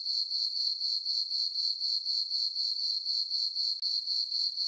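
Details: Crickets chirping on a peaceful summer night in a farm meadow under a full moon: a steady high ringing tone pulsing about four times per second, with no other sounds.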